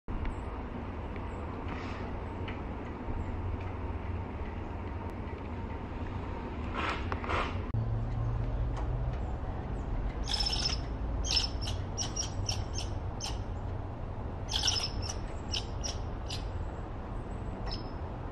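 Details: Red squirrel, male, angry at being interrupted while dining inside a squirrel feeder, loud and opinionated. Bursts of sharp, rattling chatter repeat through the second half over a steady low rumble of background noise.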